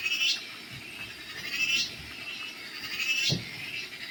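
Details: Cicada, known locally as cheeveedu, in a series of high rasping buzzes that rise and fall roughly every one and a half seconds, with a few low thuds in the background.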